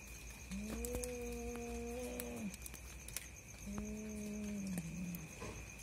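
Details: Two cats fighting at night, called a husband-and-wife pair; two low, long, steady moaning yowls of about two seconds each, the second bending downward at its end, over faint background hiss.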